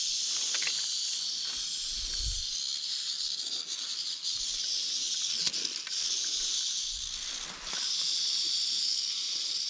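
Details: Large wild timber rattlesnake in an overgrown field, crawling in the grass: a continuous, sizzling high buzz of its rattle that fades briefly before resuming at full strength, with scattered thuds of footsteps and brushed vegetation.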